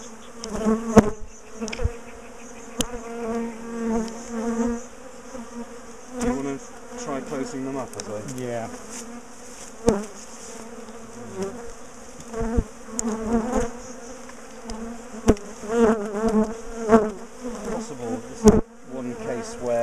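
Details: Steady droning hum from a large colony of bees as their top bar hive is dismantled and moved. Repeated sharp clicks and thuds break through, and people talk intermittently over the buzz.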